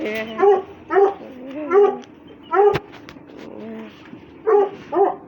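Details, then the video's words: Russian Hounds playing and fighting: high, tonal whining yelps in short bursts, about one every second, some rising and falling in pitch, with gaps of quieter whimpering between. "РУССКИЙ ГОНЩИЙ СВИСТ, СКУЛИТ+СОБАКИ ДРАКА ИГРАЮТ"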